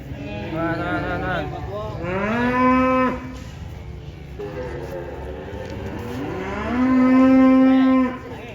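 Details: Cattle during unloading from a truck: two long, loud bellowing moos, each sliding upward and then held steady for about a second before stopping abruptly, separated by a quieter pause with low rumble.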